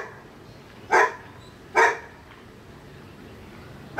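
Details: Dog next door barking: two loud, short harsh barks about a second apart, a faint third and the start of a fourth at the end, over quiet background.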